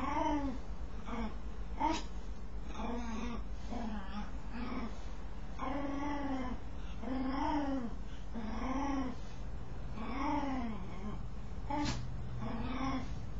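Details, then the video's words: While scratching itself, a dog utters a string of curved, nasal whimpering moans, roughly one a second and fairly even in pitch, with a couple of sharp taps over a low steady hum. "Dog makes strange noise while scratching itself"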